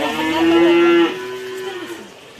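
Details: Cow at a farm being given a bath, letting out a loud, harmonic moo of about one second that drops into a softer, lower trailing tail, with faint background noise.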